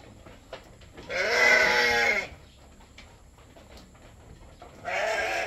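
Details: Goat bleating while being milked for a newborn kid: one loud, wavering, nasal bleat about a second long, then a quiet pause and a second bleat beginning at the end.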